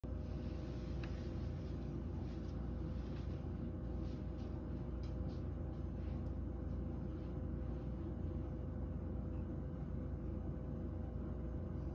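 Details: Continuous low humming drone, like a warm-air heater or blower running indoors, with faint clinks and no animal calls.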